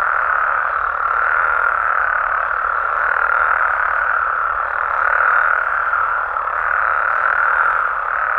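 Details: Continuous nocturnal calling of frogs and toads in Mexico, heard as a seamless droning trill with slight swells, loudest near the fifth second.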